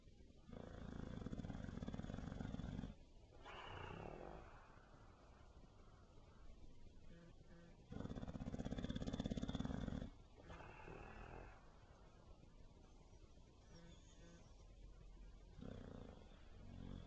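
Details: Benny the bulldog snoring repeatedly: long low rumbling snores of about three seconds each, separated by quieter wheezing exhales.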